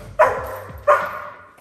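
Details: Moira, a German Shepherd in training, barks at dogs outside the house because other dogs make her extremely excited. Two loud, sharp barks come about 0.7 seconds apart, each fading quickly in a quiet room.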